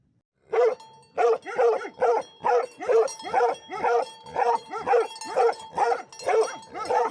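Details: Livestock guardian dogs barking: a steady run of about fifteen loud, deep, hoarse barks, each roughly half a second apart, keeping an even rhythm from start to finish with no other clear sounds.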